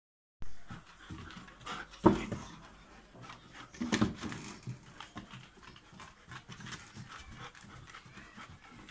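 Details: German Shepherd named Rosey giving two short, strained whimpers about two seconds apart, each with a brief tonal edge, over a continuous bed of soft, breathy panting-like noise.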